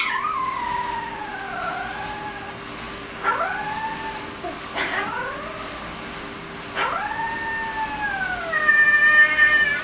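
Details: A 20-day-old malamute-husky cross pup howls in high, thin tones that rise quickly then glide slowly down, wavering cries in several separate bouts with short pauses, over a steady low hum.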